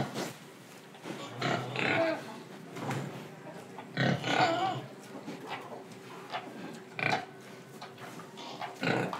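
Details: Pig in Indonesia, breathing and eating: short rough grunts in irregular bursts, several loud snorts spaced about every second or two, with soft breathy noise and quiet rustling between them.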